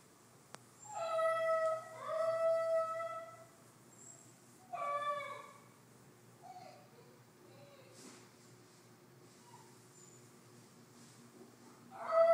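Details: Basenji puppy, female, yodeling in her cage after the people left the room: soft, sliding, warbling calls rising and falling in pitch, in bursts around two and five seconds, then quieter whines, over a low room hum.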